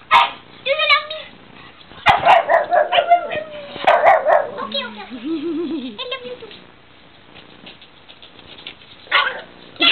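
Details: Pug playing with another dog, which it does every time it plays: short yelping barks and a wavering, warbling howl, mixed with human speech and laughter in a room.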